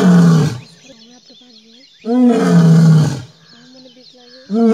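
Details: A lion in the Gir forest, India, gives deep, rasping roars in loud bursts, with quieter voices and tones between them.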